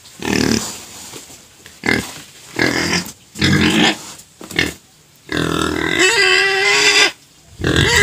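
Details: Pet pig in a bout of crying, later silenced with sugar cane: a string of short, gruff, grunting squeals, then a longer piercing squeal with steady tonal pitch, and a final burst.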